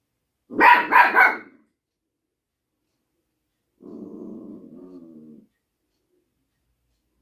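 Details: Small dog in an apartment lets out two quick sharp barks in a row, followed after a pause by a low, rumbling growl lasting over a second.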